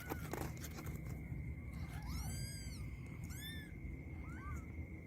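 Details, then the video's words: Kittens fighting, giving a few high, arched mews in a short burst, the clearest two drawn out and falling at the end, over a low steady rumble and a constant thin electrical whine. "kittens fights"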